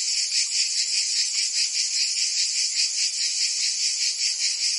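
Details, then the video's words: Cicadas singing in summer in Provence, France: a dense, continuous high buzzing chorus with a faint rapid pulsing, steady in loudness throughout, no other sounds. "Cicadas singing in France (Provence)"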